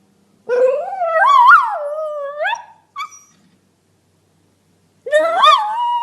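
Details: Dog giving a drawn-out whining howl that wavers up and down, peaking then sliding lower, a short yip, a long silence, then another wavering howl begins.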